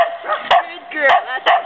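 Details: Bedlington Terrier, a female, at playtime in Woodland, California, on 15 November 2009: three sharp, loud barks about half a second apart, with a woman's voice talking between them.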